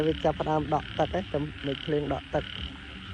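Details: Night chorus of frogs after heavy rain, heard while frogs are being caught: quick run of rhythmic, throaty croaks, about four per second, with a constant insect drone behind.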